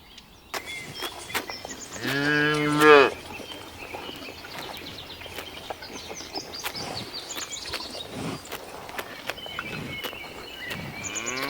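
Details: A cow grazing in ripening rice fields gives a single deep, drawn-out moo that swells and then cuts off.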